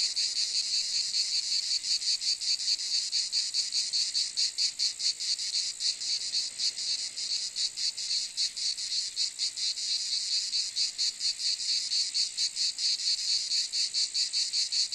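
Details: Cicadas give an unbroken, shrill, high rasping drone with quick, slightly uneven flutters in the sound, holding a constant loudness throughout, and no other sounds.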